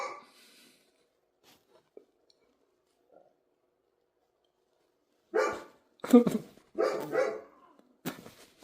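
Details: After several seconds of near silence, a dog lets out a quick run of four or five loud barks, closely spaced and irregular.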